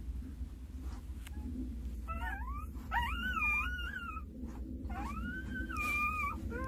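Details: Two-day-old Jindo puppies, nine in the litter, being licked and looked after by their mother Sarang: a series of thin, looping whines and squeals, each bending up then down, several per second at times, over low rumbling noise.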